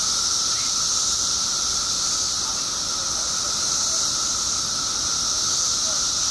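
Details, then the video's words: Billions of periodical cicadas emerging in Illinois after 17 years below ground make a dense, continuous buzzing hiss with a steady whining tone running underneath. "Billions of Periodical Cicadas Emerge After 17 Years Underground Cicadas Making Noise"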